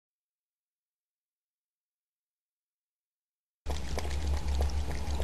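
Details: Silence, then a burst of low rumbling, pouring and sloshing noise with no clear animal voice.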